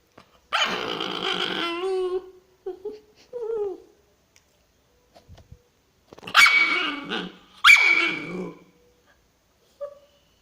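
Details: Pet female dog, infuriated, voicing a long wavering warbled growl-whine, then short grumbling whimpers, and later two harsh abrupt barking bursts with a faint high squeak at the end.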